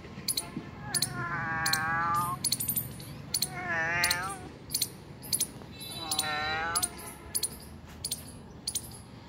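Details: Three wavering, evenly spaced meows from a domestic cat found two kilometres from home, each about a second long. Crisp jingling clicks repeat in the background.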